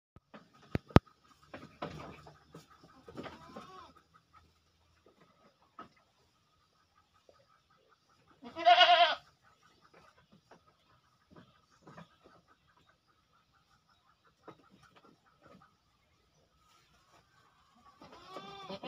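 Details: Goats at feeding time. The stretch is mostly quiet, with scattered rustles and knocks. One loud, harmonic bleat lasting about half a second sounds midway, and a second bleat begins right at the end.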